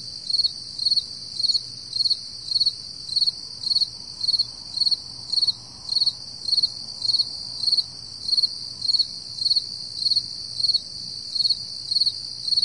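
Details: Crickets chirping at 4 AM on a summer morning, July 2012: fast, regular high chirps of a few quick pulses, nearly two per second, layered over several continuous shrill insect trills.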